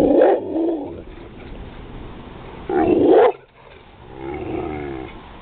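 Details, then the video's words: Pit bull Roscoe hearing thunder gives two loud, rough growling barks near the start and at three seconds, followed by a softer drawn-out grumbling whine, against a low indoor hum. "roscoe hears thunder"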